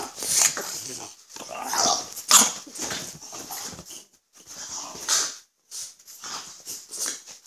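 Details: French Bulldogs Gonzothunder and Turbopanda, a father and his son; almost continuous hissy snorting and breathy snuffles, rising and falling in short waves with brief pauses between.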